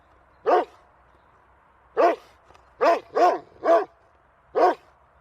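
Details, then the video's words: Angry barking dog giving six loud, rough barks at uneven intervals, some close together in pairs, others spaced by more than a second, over a low constant background hum. "Cachorro Latindo Bravo"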